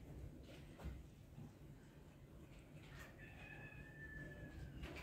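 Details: Kitten upset at the sight of a pacifier, giving one thin, high, drawn-out cry of about a second and a half that holds steady then falls slightly at the end, over low indoor room noise and faint knocks.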